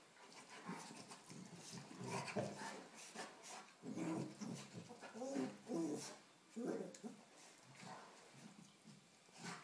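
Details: A 4-month-old Rottweiler cross puppy play-fights with a 3-year-old St Bernard. Irregular throaty growls, huffs and panting bursts rise and fall, with brief quiet gaps and rustling movement.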